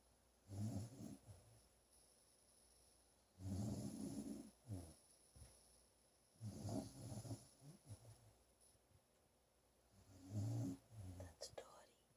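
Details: Dog named Dottie, resting indoors while recovering from a serious coyote attack after getting off her cable, snoring in low rumbling breaths, four long snores spaced about three seconds apart, small room quiet.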